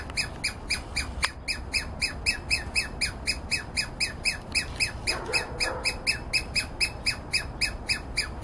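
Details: Douglas squirrel near a yard, seemingly alarmed but unbothered by a person walking up close; sharp, bright calls repeat steadily about four times a second for over eight seconds, with a brief lower sound around the middle.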